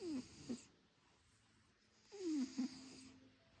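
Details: Wheezy snoring from a sleeping cat: two loud breathy rasps, each opening with a falling whistle and closing with a brief squeak.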